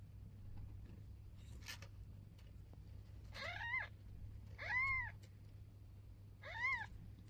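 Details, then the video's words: Mother cat with her newborn kitten on its first day, the kitten meowing: three arched, rising-then-falling meows, each under a second, spaced about one and a half seconds apart, over a steady low hum. "Mother cat talking to newborn kitten"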